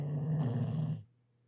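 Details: An elderly female Labrador gives one deep, rattling snore about a second long, loud and low-pitched, then breaks off into near silence.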